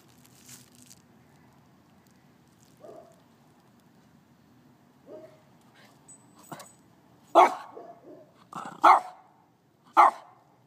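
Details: A dog named Scruffy, acting oddly over ants in a lawn, lets out a few faint soft sounds before three sharp loud barks near the end, spaced about a second apart.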